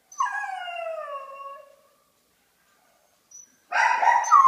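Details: Singing pet dog: one smooth, falling howl lasting over a second, then silence, followed by a rougher, noisier burst of vocalizing at the end.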